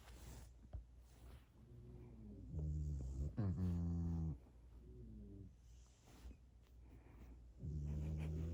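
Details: Sleeping French Bulldog being tickled in a small room answers with a couple of low moaning grumbles, one sliding up then falling, separated by quiet snuffly breathing.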